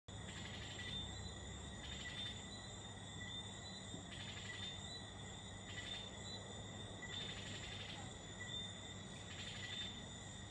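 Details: At night in Martinique, insects fill the air with overlapping high, steady trills and rhythmic pulsing buzzes, several voices at once, over a low background rumble.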